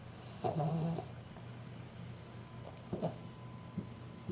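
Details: A female Cavalier King Charles Spaniel snores while asleep and unconsciously wagging her tail: one soft, low, rasping breath near the start, then faint short snuffles later, over a quiet indoor hum.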